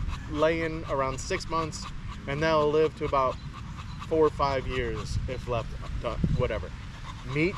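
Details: Evening in the park with male Staffordshire Bull Terriers: bursts of wobbly, whining yodel-calls come in quick clusters with short gaps, some panting between, over a faint low rumble.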